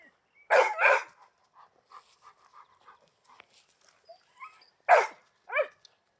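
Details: Two dogs, a big Argentino and a small chihuahua, give two loud harsh barks close together near the start. Soft short yips follow, then another strong bark and a final higher, sliding yelp.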